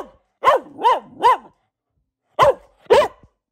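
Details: A female Boxer dog, a habitual barker, barks in two bursts: three quick rising-falling barks, a pause, then two more.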